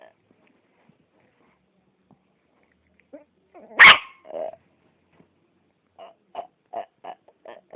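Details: Yorkshire Terrier making freaky noises: a few soft grunts, one loud harsh bark-like burst, a short moan, then a quick run of five or six small pitched yips, in an otherwise quiet room.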